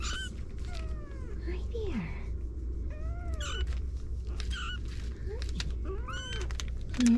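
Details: Kittens mewing indoors, a series of thin high arched mews, some rising then falling, repeated every second or so with several overlapping voices, over a steady low room hum and occasional soft speech.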